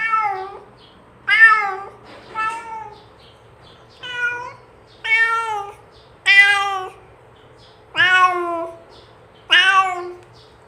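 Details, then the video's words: Cat meowing to call its companions to eat together: about seven loud, harmonic meows, each falling in pitch at the end, spaced one to two seconds apart, with a faint low hum in the background. "SUARA KUCING MENGEONG MEMANGGIL TEMANNYA"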